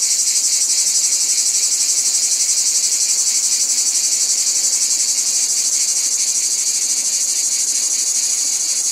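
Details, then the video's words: Shrill, unbroken cicada chorus with a steady high buzz that swells and fades in a slow rhythmic pulse, over a faint lower rasp, held evenly for the whole stretch. "Cicadas | Black Screen Sounds"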